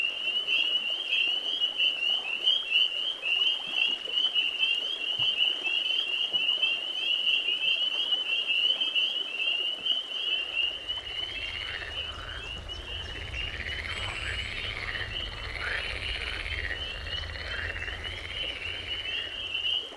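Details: Spring peeper males chorusing on a spring night, a sleigh-bell-like din of high overlapping peeps; halfway through a low steady hum and some lower wavering calls join the constant shrill band.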